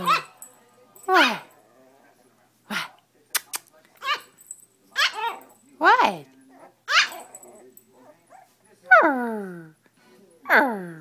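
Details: Milo, a pet chiweenie left on the sofa when his owner went out without him, barks at the owner in a small room: a steady run of sharp, high, downward-sliding barks about once a second, with brief clicks between.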